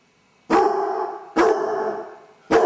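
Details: Basset hound left alone at home while its owners are out, suffering separation anxiety: three abrupt, loud bay-like barks, each stretched into a harmonic wail that fades over about a second.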